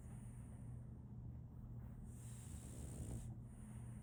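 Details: Female French Bulldog Solaimy asleep, letting out a soft, raspy snore late in the breath after a quiet stretch, against a steady low hum and background hiss.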